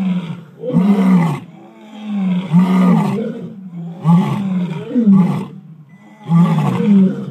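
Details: Several lions and lionesses giving typical territorial roars together, one setting off the others, in deep, rumbling bursts each about a second and a half.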